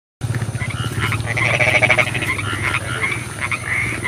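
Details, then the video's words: Frogs croaking at night in the rain, a dense chorus of rapid pulsed croaks with bright ringing trills, calls overlapping continuously, a low steady hum underneath. "SUARA KODOK HUJAN"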